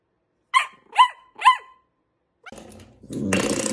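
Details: Dachshund wiener dog barking three times, evenly spaced about half a second apart, followed by rustling and broadband household noise.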